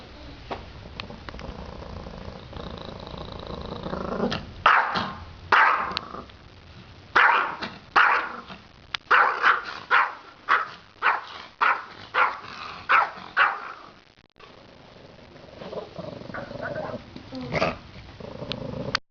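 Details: Froddo, a pet dog, barks in a run of sharp, evenly spaced barks about every half second, after quieter grumbling; the barking trails off into softer yips and noises near the end.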